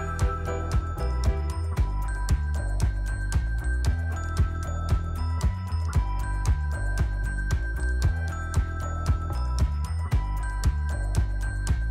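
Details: Steady rhythmic music with chiming, bell-like tones and a regular beat throughout, and no animal voice heard.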